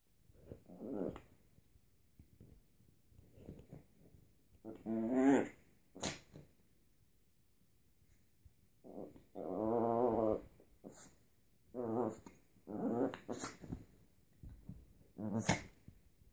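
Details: A Chihuahua puppy gives high, whiny growls and yips in short bursts, urging its father, who wants to sleep, to play.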